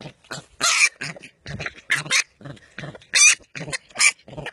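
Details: Young wild boar piglet in its first stage of growth, giving harsh, noisy squealing screams in short bursts separated by brief pauses, some bursts louder and shriller than others.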